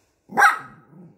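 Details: Young poodle, upset at food served on paper, lets out a single sharp bark that trails into a low rough growl.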